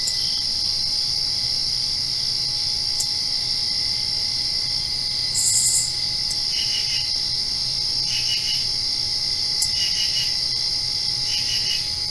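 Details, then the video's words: Crickets at night directly after rain: a constant shrill trill behind repeated short chirps in quick triple pulses, coming roughly every one to two seconds in the second half, over a faint low hum. "Crickets Chirping"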